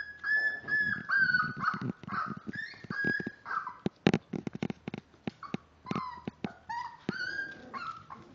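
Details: Miniature Dachshund puppies at five weeks old, born March 30th; high whines and yelps in uneven bursts, mixed with sharp clicks and knocks from movement.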